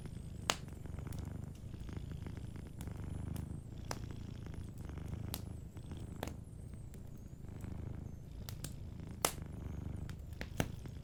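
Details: Cat sleeping and purring softly near a warm fire. A constant deep rumble with gentle pulses runs throughout, while the fireplace gives repeated crisp crackles and pops.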